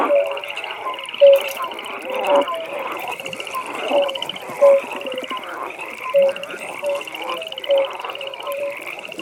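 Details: Frogs calling at a pond at night, loud short low croaks repeating about every second or two above a continuous high trilling chorus of other frogs.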